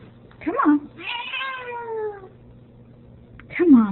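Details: Female Ragdoll cat at the door, objecting to her owner going out: a squeaky chirp, then a long descending meow, then another rising squawk, while a person coaxes nearby in a small room.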